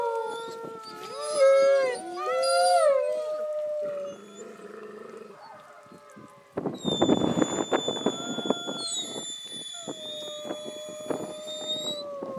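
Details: Captive gray wolves at a wolf park on a rainy evening, the grown males joining a group howl in answer to visitors: overlapping gliding, wavering howls, then a noisy burst with thin high steady tones and a person talking.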